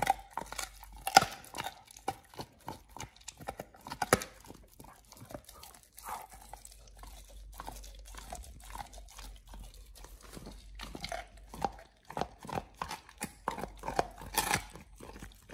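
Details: Raw ostrich paw eaten by Oliang, a Pit Bull, on his first try indoors; steady crunching, tearing and gnawing as dense rapid cracks, with louder bites standing out now and then across the stretch.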